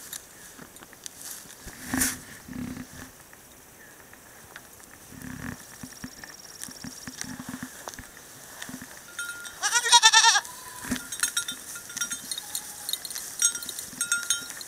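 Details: San Clemente Island goat mix herd in a new pasture; one loud, wavering, harmonic bleat about ten seconds in, lasting under a second, among scattered clicks, knocks and faint high ringing tones.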